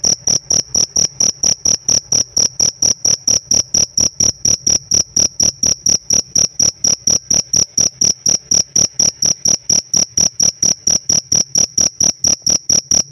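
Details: A pet cricket sings its prized chirp, a long unbroken train of piercing high pulses delivered fast and evenly, close to four each second, with nothing else audible.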